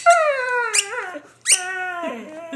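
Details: Pet dog, a female, told to speak answers with two drawn-out whining yowls, high and richly harmonic, each sliding slowly downward, the second trailing into a lower wobbling moan.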